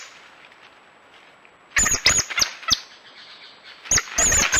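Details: After a quiet start, a coati breaks into a few sharp high squeaks and clicky chirps, then pauses and resumes with a louder cluster of thin, whistled squeals.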